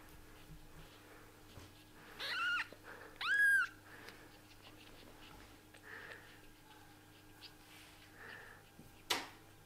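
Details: Kittens with freshly opened eyes give two short, high, falling mews in quick succession, followed by soft rustling and faint murmurs, then a single sharp click near the end.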